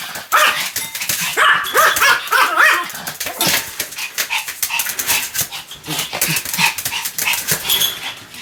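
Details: Sam, a pet Pomeranian, barks continuously in rapid, sharp yaps, more than three a second at times, in uneven bursts with brief quieter gaps between volleys.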